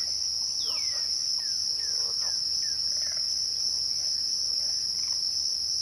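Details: Crickets at twilight keep up a steady, high, shrill trill without a break, with a fainter thin tone above it. Short falling whistles, probably from birds, come now and then through the background.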